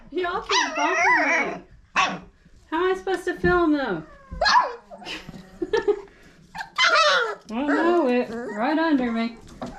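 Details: Litter of five-week-old Old Family Red Nose Pit Bull puppies by Abby and Ragnar, kept indoors; loud, wavering, harmonic yelps and whines come in dense bursts with brief pauses, mixed with a person talking.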